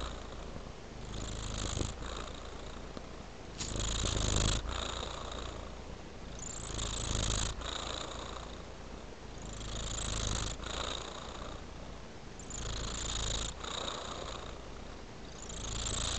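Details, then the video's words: Tabby cat purring: a steady low rumble that swells and fades in long breaths, each phase lasting about two seconds, with broadband rushing noise on each cycle. "A Sweet Purring Tabby Cat"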